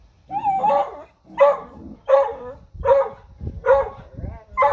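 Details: Dogs barking at a deer: loud, harsh barks repeated roughly every seventy-five seconds' worth of beats, six in under five seconds, some with a whiny yip at the start.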